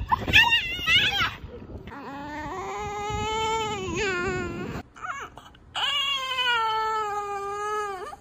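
A French Bulldog gives a string of drawn-out, wavering whines that sound almost like moaning speech.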